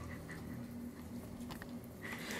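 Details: Devyn, a female Corgi, protesting at being told what to do: low, nasal, moaning grumbles in short repeated bursts with a buzzy harmonic tone, then a thin higher whine near the end.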